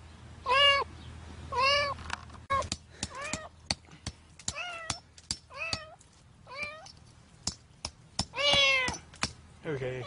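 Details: Cat buried in cement concrete cries out in repeated meows, some long and wavering, others short, while hammer-like knocks and clicks from people working sound between the calls.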